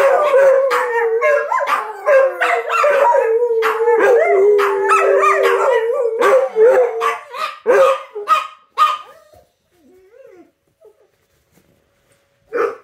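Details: Dogs howl with the noontime sirens, a crowded chorus of wavering wails and yips for about nine seconds that breaks into short bursts, then near quiet with a faint call at the end.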